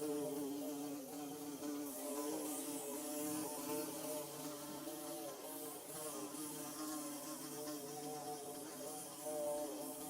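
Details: Steady humming of bees constructing their nest, recorded in Mizo country: a dense, low-pitched drone whose overtones waver and overlap for about ten seconds, loudness rising and falling gently.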